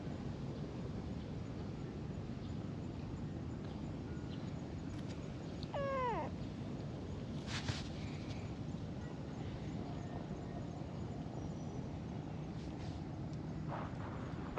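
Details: Tortoiseshell kitten, a stray meeting a person for the first time and letting itself be handled; one short, clear meow falling in pitch, over a steady outdoor rumble with a few faint rustles.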